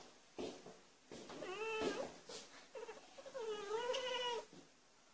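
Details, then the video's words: Abyssinian cat chattering at birds outside: a string of short, broken chirping meows followed by a longer wavering, trilled cry, coming in irregular bursts over about five seconds, with a person's voice asking what is out there. "Abyssinian cat barking at birds"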